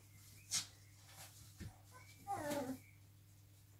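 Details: Five-week-old Cavalier King Charles Spaniel puppies indoors: a brief falling, tonal whine near the middle, preceded by a few thin, high squeaks and a sharp click, with a steady low hum underneath.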